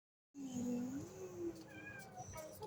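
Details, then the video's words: Kittens playing, one giving a long, low, drawn-out meow that wavers and then rises, followed by a few fainter, higher mews and light rustling. "the kittens #playing"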